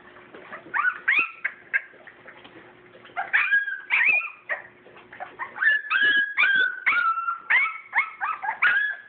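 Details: Purebred English Springer Spaniel puppies, born 7/22/12, at play. High whimpers and yips rise and fall in bursts, with some squeaky tonal whines overlapping and short pauses between. A faint steady hum runs underneath.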